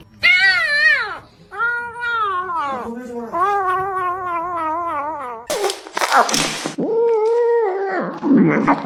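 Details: Greedy house cats vocalizing while they eat: loud, wobbling harmonic moans repeated in quick runs, followed by noisy chewing or rustling bursts and a final steady drawn-out mew.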